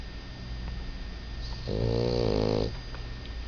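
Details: Dog worn out after playing with another dog while staying with friends, giving one drawn-out, nasal, rattling snore about a second long over a steady low hum.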